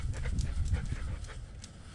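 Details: German Shepherd service dog left home alone, panting with a camera strapped on; quick rough breaths repeated several times a second, low and noisy, with faint indoor rustling.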